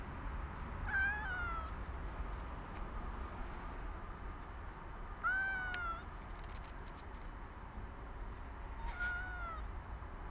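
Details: A cat met on a walk is woken from its afternoon nap. It gives three drawn-out, slightly falling meows several seconds apart against a low, steady outdoor rumble.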